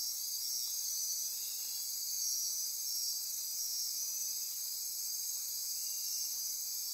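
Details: Costa Rican rainforest insects at midnight near Corcovado National Park on the Osa Peninsula keep up a thick, high-pitched drone of trills and buzzes, with pulsing bursts swelling slightly around two seconds.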